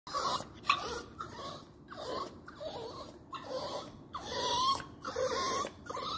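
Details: A dog crying: a run of short, high whining whimpers with breathy snorts between them, some notes bending upward, uneven in loudness throughout.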